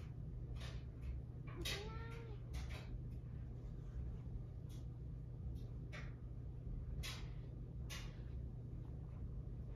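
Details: A Siamese cat in an argument gives a single drawn-out, bending meow over a steady low hum and scattered clicks.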